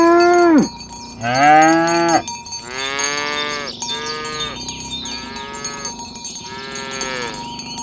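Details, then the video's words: Several tame cattle driven along village roads toward the pen in the morning, calling companions together: a loud falling moo, then about four overlapping moos with rich harmonics, cowbells ringing throughout. "Suara sapi lembu berkeliaran di ladang rumput hijau memanggil kawan untuk berkumpul - Bunyi sapi"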